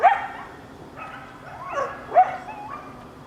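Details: Coyote family answering sirens with brief yips and short sliding howl notes, three bursts spaced about a second apart, the voices overlapping and quavering.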